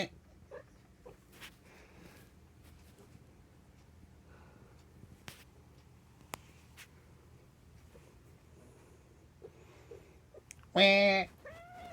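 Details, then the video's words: A cat with a strange nasal 'an-an, aan' cry. After a long, near-silent stretch with soft ticks and rustles, one loud, harmonic-rich meow bursts out near the end, then a shorter, fainter bending mew. "アンアン・アーンと鳴く猫 strange cat sounds"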